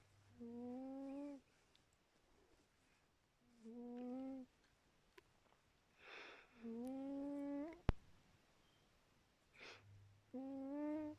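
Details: Khaly, a cat, snores in whistled, faintly rising notes, each close to a second long, four in a row about three seconds apart, with breathy rushing exhales between some of them.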